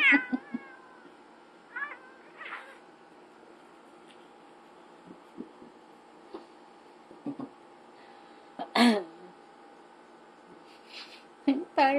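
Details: Domestic cats Ziggy and Chino in a cat fight indoors; several short harmonic meows and wails in bursts, a loud drawn-out yowl near the middle and rising cries at the end, over a steady electrical hum.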